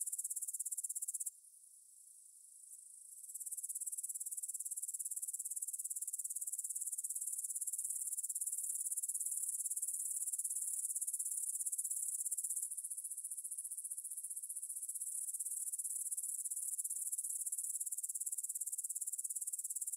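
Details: Meadow grasshoppers near Bryansk's Svensky monastery, Russia, 9pm, 6 September 2020, Tascam DR-44WL stereo: sustained high-pitched chirring that drops sharply quiet for about two seconds, then returns and runs continuously, with a slight shift in tone midway.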